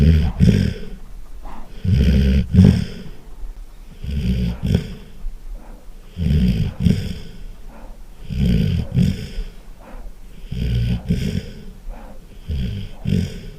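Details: A Golden Retriever sleeps and snores remarkably loudly. Seven low, throaty, rattling snores repeat about every two seconds in a steady rhythm, with soft exhalations in between.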